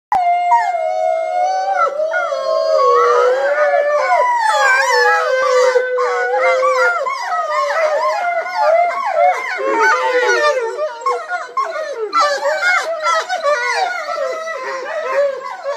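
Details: Three wolves, Cheyenne, Tejas and Nataa, howl together at The Wolf Centre, with long sliding tones breaking into overlapping yips and wavering cries.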